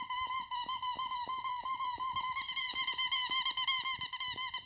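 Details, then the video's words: Toto, a pet Shih Tzu, making noise to get attention indoors; a high, sustained whine with wavering, slightly bending pitch, pulsing in short bursts and growing louder and shriller toward the end. "Toto makes noise to get my attention!!"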